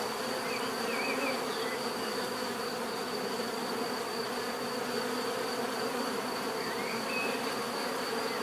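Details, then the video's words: Natural buzzing of bees, offered as bee therapy: a continuous swarm drone, even in loudness, with occasional brief rising chirps from another small creature in the background. "bees therapy relaxing natural buzzing sound"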